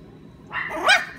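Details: Energetic Maltese-poodle mix dog, with a Maltese father and a poodle mother, giving one short, high yipping bark that rises and then falls, preceded by faint background hum.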